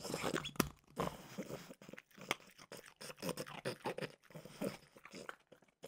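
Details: Peanut butter flavored Trader Joe's dog treats being crunched by Mimosa, a French bulldog, in a small room; steady irregular crunching bites with brief pauses.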